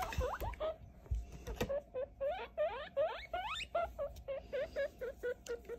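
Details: Young guinea pig, just over three weeks old, during a weight and gender check, making quick rising squeaks that hook upward, closely repeated, over soft handling clatter.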